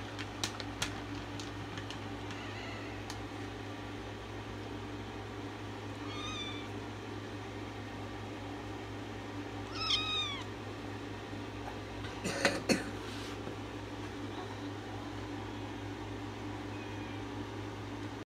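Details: Male kitten impatiently waiting for cat treats indoors, giving several short, thin, rising-falling mews spaced a few seconds apart, with clicks, thumps and a steady electrical hum.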